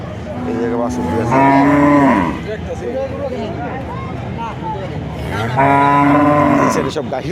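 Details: Two full-throated moos, about four seconds apart, from cattle at the Kuchiya Mara cattle and goat market on 26/5/2026. Each call holds steady and then slides downward at the end, with constant chatter and market bustle in between.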